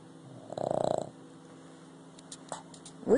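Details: Boston Terrier asleep and snoring: one raspy, rapidly pulsed snore lasting about half a second, then quiet room tone, a faint snort and a brief human voice at the end.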